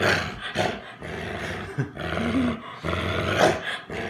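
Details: American Bulldog growling while protecting his stuffed monkey: a low, rough, rumbling growl in uneven surges with short breaks, and a sharper snarling rise near the end.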